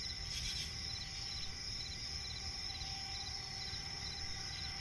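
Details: Crickets trill steadily in high, sustained pulsing tones at night in a swampy forest, with low rumbling noise beneath.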